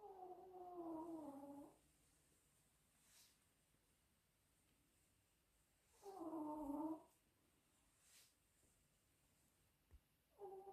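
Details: Snoring Chihuahua letting out drawn-out, whistly, nasal snores, each lasting one to two seconds and about five seconds apart. Faint breaths are heard between them, along with a small click near the end.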